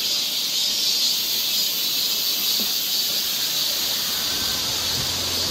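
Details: Cicadas singing in summer along a forest trail in Seoul, Korea: a continuous, dense, high-pitched buzzing drone that holds steady throughout, with only a few faint soft sounds beneath it.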